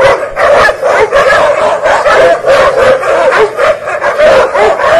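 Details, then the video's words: Fighting dogs clash over territory, snarling barks and yips tumbling over each other in rapid, uneven bursts that barely pause across the few seconds. "Dog fight territory fight |fighting dogsl"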